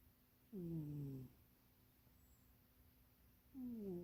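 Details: Sleeping house cat Munchie, napping in an undersized box, gives rasping, downward-sliding snores, one long breath followed by another starting three seconds later, quiet room hum beneath.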